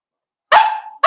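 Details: Blenheim Cavalier King Charles Spaniel puppies, a litter of five born at New Year's, playing with their mother Paris in an indoor puppy pen; one sharp bark lasting about half a second, then a second bark begins.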